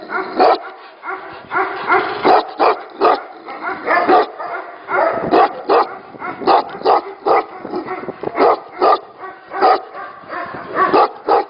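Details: Several Tibetan Mastiffs at a breeding facility bark almost continuously, short sharp barks overlapping from multiple dogs at varying distances, forming a dense, uneven chorus.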